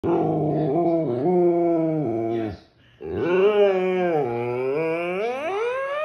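A Siberian Husky throws a fit with long, wavering, howl-like yowls that bend up and down in pitch.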